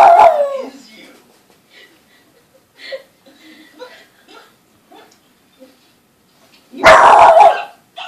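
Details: Boston Terrier puppy, usually calm, reacting to the TV indoors: a loud opening bark fading into quiet muffled whines and snuffles, TV sounds faint, then a sudden loud harsh bark near the end.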